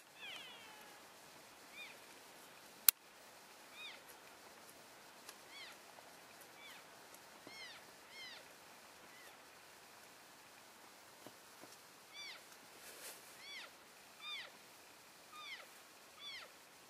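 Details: Elk herd keeping in touch while moving from one grazing area to another, 3 February 2012; many short, high, arched chirps come from several animals at scattered intervals, faint against a quiet background, with one sharp click.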